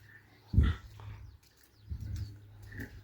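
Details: Pigs on a farm, sows kept for breeding: two short bursts of deep, low grunting about a second and a half apart, with a steady low hum and faint background noise.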